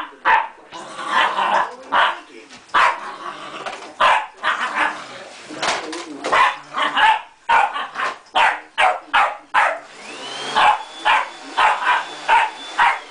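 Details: Pet terrier that hates the vacuum cleaner barks nonstop in a dense, uneven volley of sharp barks. A steady high machine whine runs through the second half.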